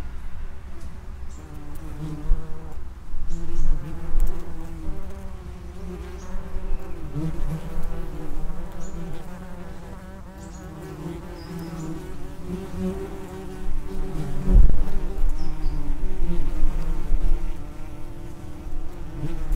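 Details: Many common wasps buzzing at the entrance to their underground nest. A dense, wavering low hum of wingbeats swells and fades repeatedly, quieter in the middle and louder towards the end as traffic increases.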